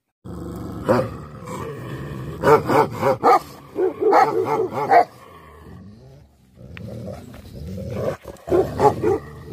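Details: Angry Tibetan Mastiff (Bhote Kukur) giving gruff, growl-laden barks in uneven bursts over a rumbling, noisy background, going quiet for a moment before barking again.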